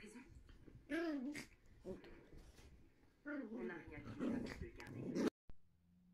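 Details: Two Yorkshire Terrier puppies playing together indoors, high wavering whines and yelps in bursts, with low growly grumbles between, ending abruptly.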